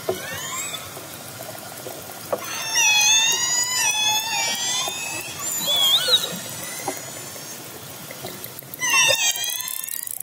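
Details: Orcas heading toward a fishing boat, captured underwater: layered squealing calls rise and waver in two long bouts, with a final short burst and steady background hiss.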